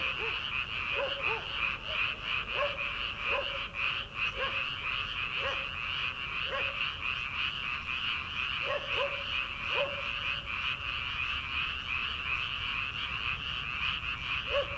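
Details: Early-summer frogs in a rice paddy at night, before transplanting season: clipped, repeated croaks, often in pairs or triplets, scattered across the recording above a constant shrill background chorus.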